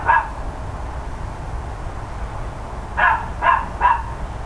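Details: Neighbours' dogs heard on 13 October 2012 near 10 AM: one bark, a pause of nearly three seconds, then three quick barks, with a low hum beneath.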